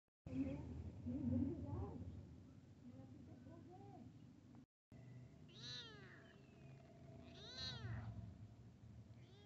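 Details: Domestic cat, a kitten meeting a big cat: after a stretch of speech and room noise, two clear drawn-out meows arch up and down in pitch, about two seconds apart, in the second half.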